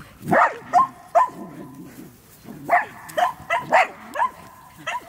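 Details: Medium Poodle on the run, barking in quick bursts that come in clusters, with loud, tonal yaps over faint human speech.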